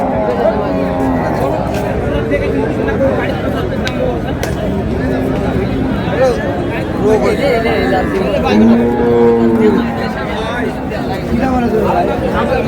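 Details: Sahiwal cows with calves at the Ambari livestock market in Dinajpur, Bangladesh, 20 February 2026. A low, drawn-out moo swells near the end, set against steady crowd chatter and bargaining voices.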